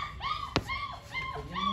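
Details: German Shepherd puppy at a dog kennel in India, giving high, thin whimpering whines in a few short arched notes, with a sharp click midway and a man's voice talking nearby.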